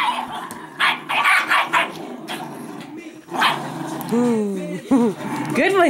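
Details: Two Italian Greyhounds, Speckle and Shimmer, play fighting in a tug of war. Wavering, high whines sound near the end, after earlier rough bursts of growling and barking. A person talks over the dogs.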